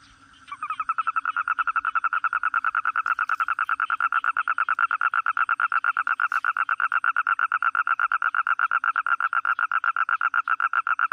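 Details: Toad calling with a long, steady trill of rapid, even pulses, roughly eight per second. It begins abruptly after half a second and carries on unbroken to the end over a quiet background.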